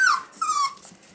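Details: Male Pomsky puppies at five weeks old: a high squeaky whine sliding downward, followed by a second longer thin descending whimper, with faint room noise.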